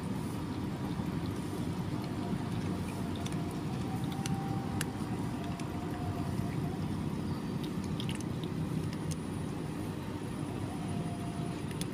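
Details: Steady low traffic-like rumble fills the recording, with scattered faint clicks and soft squishing sounds but no clear animal calls.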